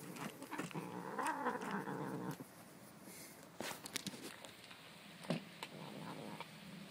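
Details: Stanley, a growling kitty, rumbles in a long harsh growl that rises slightly then stops after two seconds, followed by quieter grumbles and clicking handling noises.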